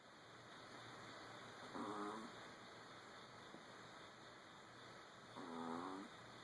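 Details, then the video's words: Old dogs sleeping indoors, snoring in two slow breaths about three and a half seconds apart, each a soft rasping buzz with a faint tonal edge, over steady room hiss. "Old dogs snoring!"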